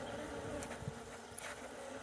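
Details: Bees from a honey nest dug out from under the ground make a steady, low droning hum with a few brief louder buzzes passing close.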